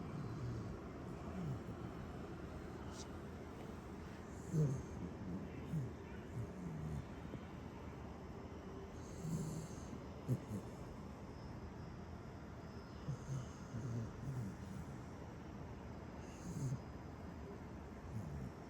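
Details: Dodo, a Welsh Corgi, snoring: low rumbling breaths under a steady hum, broken every few seconds by short snorty bursts.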